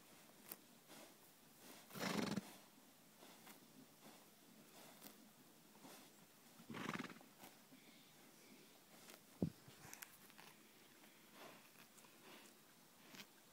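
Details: Nine-month-old Welsh Cob filly EV Elinor, playing with her big brother Marty, gives two loud, rough, breathy bursts near two and seven seconds, separated by quiet stretches, with a sharp knock just after nine seconds.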